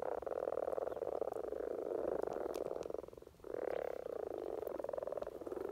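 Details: Mating chorus of common frogs in spring in Norway: continuous low rapid purring croaks from many frogs, a brief dip after three seconds, then a fresh swell of overlapping calls.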